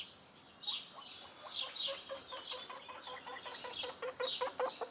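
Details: Pet guinea pig running happily around a balcony on a sunny day, exploring it; a quickening series of short harmonic squeaks grows denser toward the end, with birds chirping in the background.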